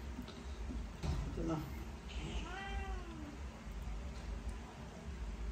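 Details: Domestic cat, unhappy and trying to run away while being given vitamins, gives one drawn-out meow that rises then falls, following a brief low mew; a person speaks beforehand, with steady background hum.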